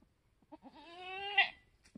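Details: Homestead-born F4 Mini Alpine buckling, newborn, black with white frosted ears and nose, March 13, 2021: a single drawn-out bleat that rises briefly and then holds steady, ending in a sharper, brighter burst.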